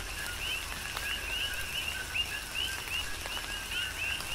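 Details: Coqui frogs in a tropical downpour, Big Island, Hawaii. Several rising, whistle-like chirps, each preceded by a lower note, repeat about twice a second against a background of rain noise and distinct raindrop clicks.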